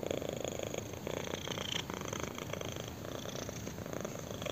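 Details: Intense, close-up purr from a kitten being scratched on the chin; gravelly vibration in short breath-linked surges, rapid fine pulsing within each, indoors and otherwise quiet.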